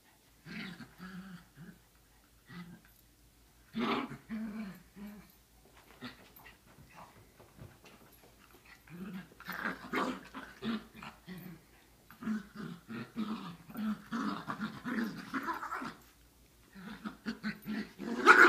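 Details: Chihuahua mixes, three dogs together, producing long rumbling growls and grumbling yowls in rising and falling waves, with brief pauses between bursts and one sharp yap at the end.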